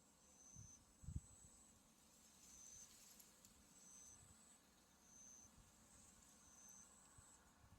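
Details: Autumn insects calling beside a white-flowering buckwheat field, with Mount Tsukuba in the distance: short, thin, very high trills repeat about every one to one and a half seconds over a soft steady hiss, with a brief low thump near the start.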